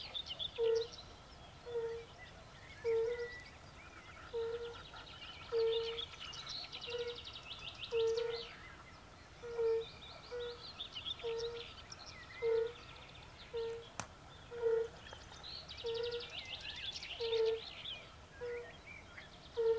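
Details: European fire-bellied toads and pool frogs in a concert by a forest pond: soft, low, hooting 'oop' notes repeated roughly every second in a steady series, over a higher, chattering, croaking chorus of other frogs.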